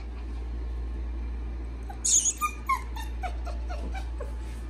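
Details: Female standard F1B Goldendoodle puppy lets out a brief cluster of thin, high whimpers and yips midway, several quick squeaky notes that weaken and fade, over a steady low hum.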